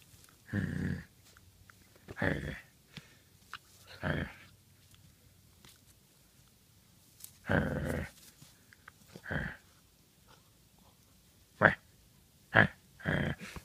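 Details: Badger, a Great Pyrenees puppy aged 9 weeks, growls while playing with a toy dog inside a small room; deep rumbling bursts lasting about half a second, then clipped higher yips toward the end.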